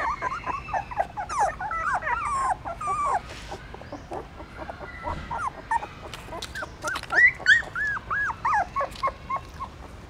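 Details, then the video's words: Newborn puppies suckling their mother's milk in a pagoda stupa in Siem Reap, Cambodia, hungry and feeding; many overlapping high squeaky whimpers and short yelps, rising and falling, in a busy continuous chorus. "Amazing puppies sucking mom milk that is natural feeding"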